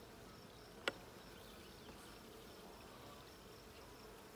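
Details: Honey bee hive being inspected on June 20, 2022, the blue hive: a soft continuous buzzing drone from many bees, broken once early on by a single loud sharp click.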